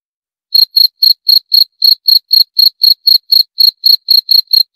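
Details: After half a second of silence, a cricket starts a fast, regular series of thin, piercing chirps, about four each second, with nothing else audible.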